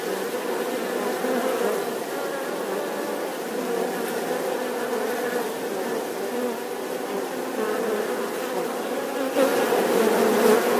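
Bees buzzing steadily, a dense low hum that swells louder near the end.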